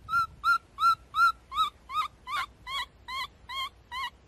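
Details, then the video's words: Baby monkey, a rescued infant named Abee, giving a series of eleven loud, shrill, wavering cries repeated roughly every third of a second, each with a bending upper tone, against a quiet background. "So sweet screaming baby monkey"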